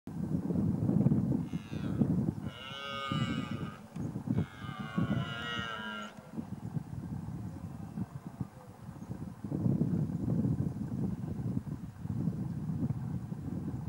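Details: A Scottish red deer stag (Cervus elaphus scoticus) gives a deep, drawn-out bellowing roar during the rut in Lochaber, Scotland, over steady wind rumble; red deer.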